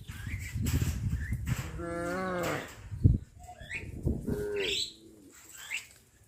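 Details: A herd of cattle walking out to graze in a settlement gives short, harmonic moos that slide downward in pitch, over rustling and shuffling noise.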